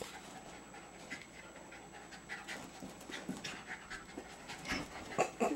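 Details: Jasper, a two-year-old Jack Russell Terrier, panting while playing with fellow terrier Jaclyn on 30 April 2009; fast, breathy, rasping puffs run steadily through the clip at low volume, growing a little louder toward the end.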